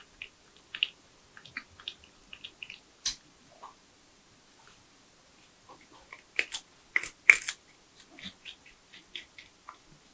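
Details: Tree porcupine eating nuts, bananas, sweet potatoes, apples and carrots indoors: sparse crisp crunches and clicks, with a dense burst of sharp bites around the middle, separated by quiet pauses.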